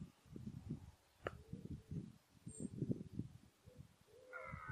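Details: A red deer stag, mainly a 14-point stag, gives deep, rough grunting bellows in quick bursts during the 2014 rut.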